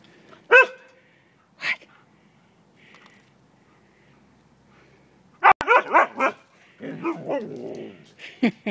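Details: Siberian husky, excited at recognising food take-out containers said to hold bacon, gives a sharp single bark, then another, then a rapid burst of yodelling, bending woo-woo barks and short yips, with a person talking in between.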